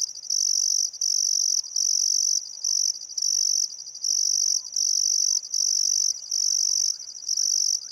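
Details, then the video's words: Crickets chirping by the Barcoo River in Welford National Park, Outback Queensland, on a calm summer afternoon at sunset: loud high-pitched buzzing pulses lasting under a second, separated by brief silences, repeating steadily, with faint birds behind. "Australian Sunset Chirping Crickets"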